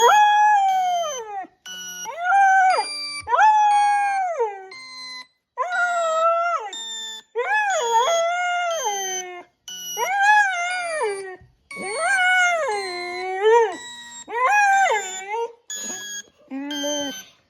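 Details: Six-month-old Border Collie howling in reaction to a sound that dogs respond to: a long series of drawn-out, wavering howls about a second each, rising then sliding down, separated by short gaps, over faint steady high electronic tones.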